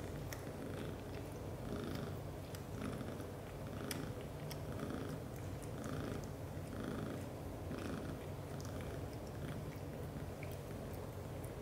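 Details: British Shorthair cat father Leo, black golden, asleep while hugging mother cat Mimi and their kittens, snoring loudly: a steady low rumble that swells roughly once a second, with soft scattered clicks and rustles on top.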